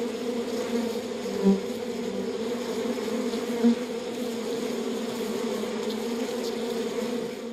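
Honey bees inside a hive make a dense, steady, low buzzing hum with a droning, even tone.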